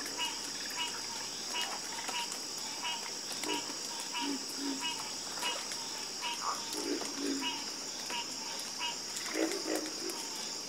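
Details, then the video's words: Soothing frog chorus: many overlapping deep croaks and rattling pulsed calls repeat throughout, some in quick pairs. A constant high insect whine fills the background. "the Calming Sound Of Harmonious Frog Croaking"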